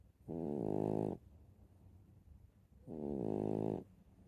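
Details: Sleeping dog snores in two long, buzzy, harmonic breaths, each close to a second, about two and a half seconds apart, with soft background hum in the pauses.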